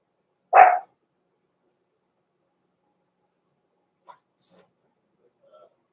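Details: Blenheim Cavalier King Charles Spaniel puppies, Roman and Blue, from Pom-Pom's small litter born November 14, 2022, in an indoor puppy pen at Christmas; one short, sharp yip-like bark, then quiet with faint small rustles and a brief high click.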